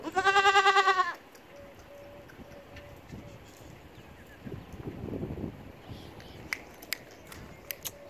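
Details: Goat bleat at the start, a single loud quavering cry lasting about a second, followed by quiet rustling, a faint steady tone and scattered clicks.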